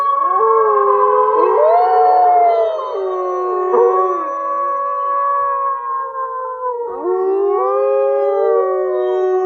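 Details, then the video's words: Eurasian wolves howling together: several overlapping smooth, sustained tones weave and bend up and down at different pitches, forming a continuous chorus for the whole stretch. "Eurasian Wolf Sound Effects"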